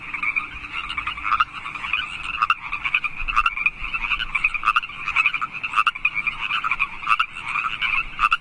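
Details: Wild frogs of California Park calling at night in March, a dense continuous chorus of rapid pulsed croaks in two bands, steady throughout with no other sounds standing out.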